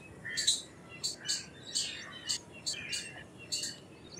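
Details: Short run of about eight sharp, bright chips from an Indian palm squirrel over four seconds, several doubled, each with a brief lower squeaky tail; quiet hiss underneath.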